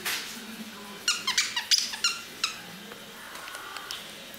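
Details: Female Russian Toy Terrier puppy, 11 weeks old, indoors in a small room: a burst of short, high, squeaky yelps clustered in the middle, then a few fainter squeaks trailing off, with a quiet voice near the start.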